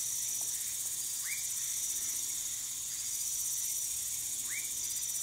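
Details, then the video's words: A woodcock (whistling) frog, Leptodactylus fuscus, in Manaus, Amazonas, Brazil, gives two short, upward-sweeping whistles about three seconds apart over a steady high hiss of insects. "Woodcock Frog (휘파람개구리)"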